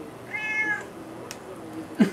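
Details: One drawn-out, high meow from Juniper, a pet cat asking for salmon, held steady and then sliding down in pitch, followed by a brief knock in a quiet room.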